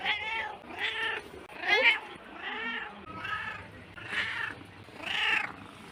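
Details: A house cat meows again and again, arching tones at about one per second, softer and somewhat hoarse, with a faint noisy background.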